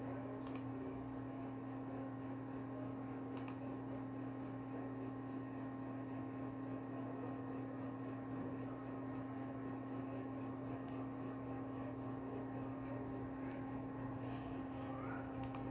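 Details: Long unbroken run of cricket chirps, bright high pulses at a steady pace of nearly four per second, with occasional faint clicks and a low steady hum in the background.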